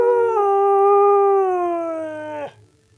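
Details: A pet Siberian Husky sings for its owner with one long, steady, slightly wavering howl lasting over two seconds before breaking off sharply, followed by near silence and faint background music.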